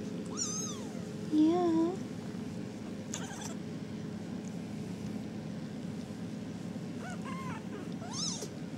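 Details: RagaMuffin kittens from a 4.5-week-old litter give three high, wavering mews: a short falling cry, a louder warbling one, then a faint rising call near the end. A steady low hum runs underneath.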